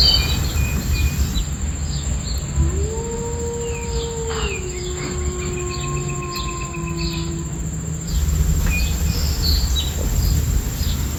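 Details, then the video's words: Wolf howling: a single drawn-out howl that rises, then holds a long steady pitch for about five seconds before fading. Bird chirps, insect noise and a constant low rushing background run throughout. "Beautiful Wolves with Nature Sounds"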